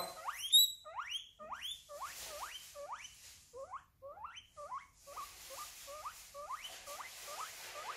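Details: Guinea pig squealing, a sound made in pain or when wanting attention; a rapid series of about twenty sharp, rising whistled squeals, each sweeping steeply upward, repeated roughly every third of a second with little pause.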